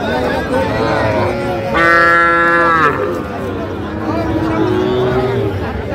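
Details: Bull calves at a Comilla cattle market in Bangladesh give a loud, steady, harmonic moo lasting about a second, with weaker lowing and crowd murmur around it.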